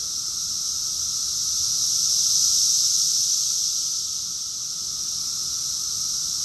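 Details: Massed cicadas singing in summer, Rockville, Maryland, USA, June 2021; a steady high-pitched buzzing hiss that rises into a single swell around two to three seconds before settling.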